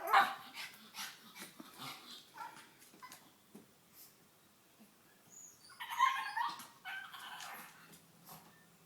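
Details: Cali, a female pet pug, vocalizing when laughed at; sharp yip at the start, scattered soft whimpers and snuffles, then a louder raspy whining burst around the middle.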